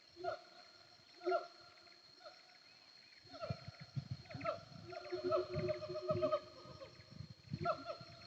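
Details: Wild siamangs heard from a hillside road in Sumatra's Bukit Kalowan hills between Nagari Paru and Durian Gadang: a few spaced sharp barks, then a dense run of loud wavering hoots and whoops over deep booming and rumbling.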